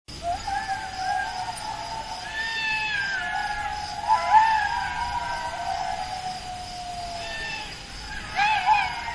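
Jackals wail in a chorus of long, wavering, high-pitched howls that rise and fall.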